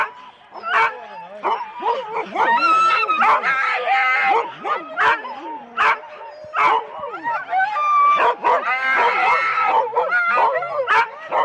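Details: Husky sled teams of four dogs at the start of a race at Rendlesham in January 2016, a chorus of many dogs barking, yipping and howling at once, with overlapping whines and sharp repeated barks and some human voices.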